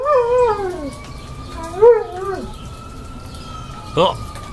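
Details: Sasha, a dog, howling along to passing fire truck sirens; long wavering tonal howls that slide downward, a steady siren tone held underneath, and a short sharp yelp near the end.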